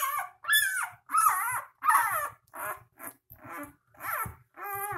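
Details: Litter of three-day-old puppies giving steady whiny squeals, each cry short and tremulous with rich overtones, repeated roughly every half second to second, with faint shuffling in between.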